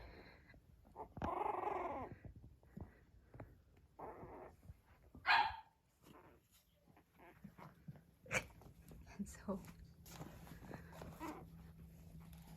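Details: Five almost four-week-old Blenheim Cavalier King Charles Spaniel puppies grumble, whine and give sharp little yelping barks while playing and exploring each other.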